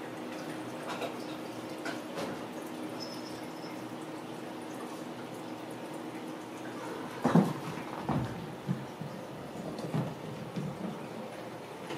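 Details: Quiet indoor room tone with a few soft knocks and handling sounds, with no animal calls heard.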